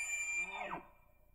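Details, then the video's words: Bull elk bugling during the rut on public land in Idaho, caught by a cellular trail camera: a whistled note that slides steeply downward into a low, grunting finish in under a second. "Bull Elk Bugles"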